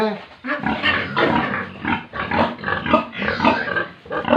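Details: Pigs and piglets at a farm in Tripura, grunting and snorting in a steady run of short rough bursts, with some voice-like sounds mixed in.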